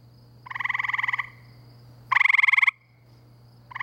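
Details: Gray treefrogs calling at night in spring by a pool near the woods and wetlands of Framingham, Massachusetts; two loud musical trills, each about three-quarters of a second long, with a third beginning at the end, over a steady low hum.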